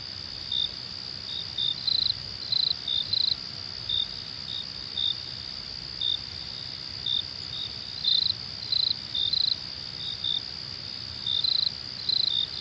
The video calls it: ঝি ঝি পোকার ডাক Cricket Chirping Sound jhi jhi poka